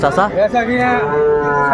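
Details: Sahiwal bull calf at Ambari market, Dinajpur, on 11 March 2024 as Ramadan began; a fairly high, wavering bellow opens in short pulses, then settles into one long, steady, slightly falling moo.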